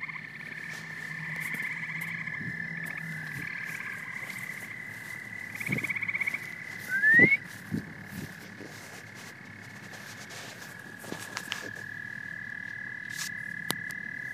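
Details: Chorus of frogs and toads: overlapping high trills that start, stop and shift pitch slightly, with scattered low knocks and a short louder burst midway, then one sustained trill near the end.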